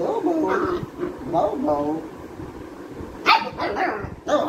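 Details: A Labrador retriever puppy gives sharp, yappy barks during play and barking training, between stretches of a person's voice.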